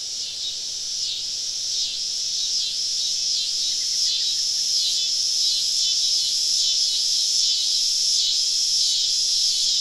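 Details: Many cicadas sing together on a southern summer evening in deep woods around a campsite: a shrill, dense buzzing drone that swells and dips in regular pulses roughly twice a second, growing slightly louder over the stretch.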